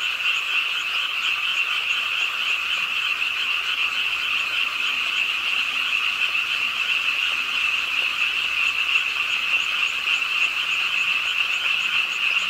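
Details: Many frogs croak beside a pond in Suwon's Ingye Art Park during rain at night; a dense, steady pulsing buzz with little variation, rain pattering in the background.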